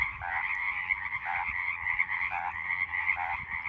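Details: Roadside frogs in full chorus, a continuous shrill trill layered with lower pulsing croaks that swell every second or so; background otherwise quiet.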